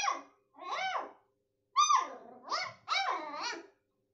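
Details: Young beagle, one month old, yapping toward its daddy: a run of five high, arching barks and yelps, some drawn out and wavering, with brief pauses, indoors and without other sounds.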